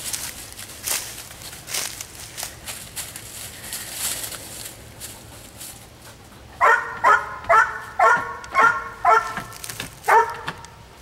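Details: Jake, an 8 1/2 month old Labrador donated to the Penn Vet Working Dog Center by D&S Retrievers, searching the woods for a missing person hidden in a bark barrel during training; a burst of about eight sharp, evenly spaced barks follows rustling footsteps.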